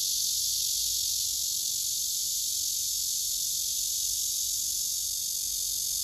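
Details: Cicadas gathered on a tree trunk, a male singing with wings spread and abdomen raised, recorded by phone: an unbroken, intense high hissing drone that holds level for the whole stretch.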